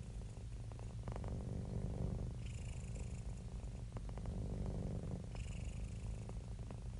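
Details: Domestic cat, happy and relaxed, purring in a deep buzzing rumble; the rhythm alternates between inhale and exhale phases about every three seconds, with a faint higher rasp on some breaths.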